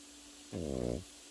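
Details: Pekingese puppy asleep indoors, giving one half-second snore: a buzzy, low, harmonic rumble with fast fluttering pulses, in a quiet room with a steady faint hum.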